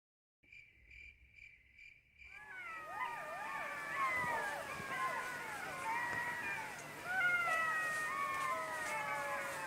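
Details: Jackals howling at night in the forest: after about two seconds of faint, evenly pulsed beeping tones, many voices break into a dense chorus of wavering, sliding wails and yips that overlap and continue to the end.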